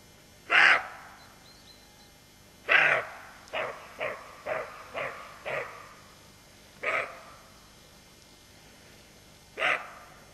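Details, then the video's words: Roe deer doe keeping watch with her fawn, barking repeatedly: loud hoarse barks spaced a few seconds apart, with a quick run of four softer, shorter barks in the middle, in otherwise quiet surroundings. "Aboiement du chevreuil"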